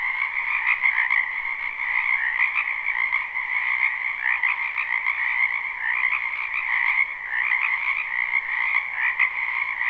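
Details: Frogs in a spring wetland croak together in an unbroken chorus, many voices overlapping into a steady high trill over a lower buzzing band, even in loudness from start to end.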